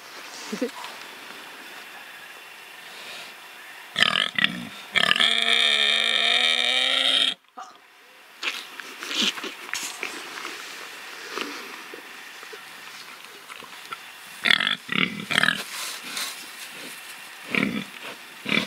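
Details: Pigs kept free to play and live, rooting and truffling: a loud, sustained high squeal with layered harmonics lasting about three seconds, followed by scattered soft grunts and snuffling amid rustling.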